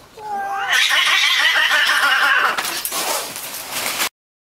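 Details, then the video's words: Cats in a fight as one defends her ground: a brief low moan breaks into a loud, harsh, hissing screech that holds for about two seconds, then fades into rough spitting noises before stopping abruptly. "Two Cats Fighting"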